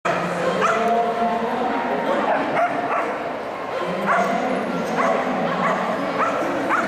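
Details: Ray, a Keeshond, at the AKC Agility Invitational in Orlando on 14 December 2012, running his first course there after a four-day cross-country drive; short barks repeat at uneven intervals over steady crowd chatter and talk.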